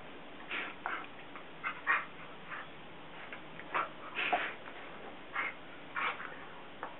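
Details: Basset Hounds Guinness, almost 7, and CJ, almost 3, playing indoors in the morning while Guinness stays lying on the couch. Short scattered yips and whimpering bursts come at irregular intervals, with some soft rustling in a quiet room.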